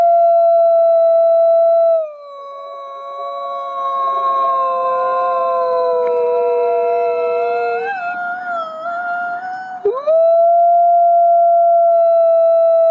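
A wolf gives long, steady howls, joined midway by other voices at different pitches.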